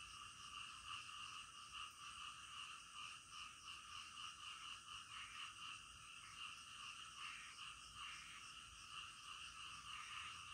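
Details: Frogs heard at night in a thick, continuous chorus; high rattling trills overlap throughout, with short brighter bursts standing out every second or two against the steady wall of sound.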